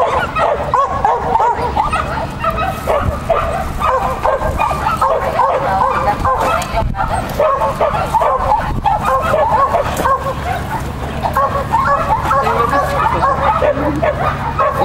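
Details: Lesya, a sheltie competing in a "Child and Dog" event on 31 May 2015, barks excitedly in a dense, unbroken stream of shrill yapping over nearly fifteen seconds, with people speaking nearby.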